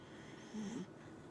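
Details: Dachshund giving a single short snore, a brief low rasping breath lasting under half a second against a faint indoor hum.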